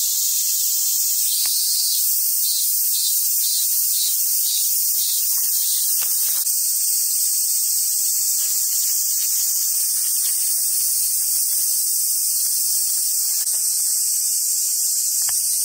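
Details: Cicadas fill the summer air at Awajishima Monkey Center, Sumoto, Hyogo, Japan, home to wild Japanese macaques, with a steady, high, hissing buzz that never lets up.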